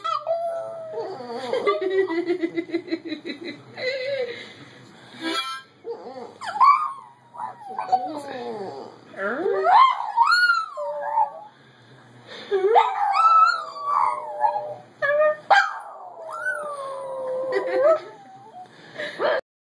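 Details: A cream and white Boston Terrier howls in wavering, rising and falling tones alongside a harmonica, with another dog in the background.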